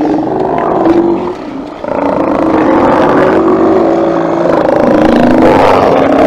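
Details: A crowd of Steller sea lions at a haulout roars and growls in a deep, continuous, overlapping chorus as they get up and move out, 24 September 2018.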